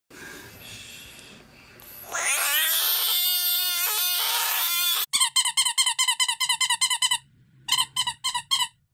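A Budgett's frog gives a loud, drawn-out, cat-like scream, then a burst of rapid, harsh squawks.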